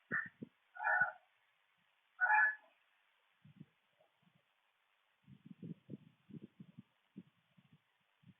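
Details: Raccoon making harsh noises toward an opossum, caught on camera; three short nasal wailing calls in the first seconds, then a run of low grunting and snuffling bursts.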